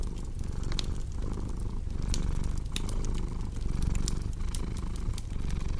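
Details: Cat purr heard close up as a deep, rough vibration rising and falling with regular breathing. Bright clicks and pops of a crackling fire appear throughout.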